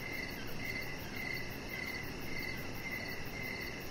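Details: Short burst of evening cricket chirping outdoors by a deck, clear clipped notes repeating about twice a second against constant low ambient noise and a thin rapid ticking higher up.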